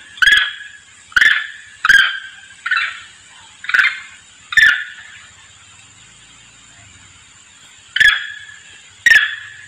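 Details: A monkey lure call: short, sharp, harsh calls in quick bursts, used to call its companions.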